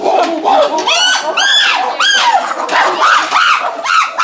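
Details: Chimpanzees of the medium-sized group at the CCC, including Dan, Vévé, Max, Louna, Charlotte, Lobai, Oga, Wodo, Habou and Shelly, give joyful, excited screams as they go through a tunnel out to their enclosure. The screams are loud, arching and overlapping, from several animals.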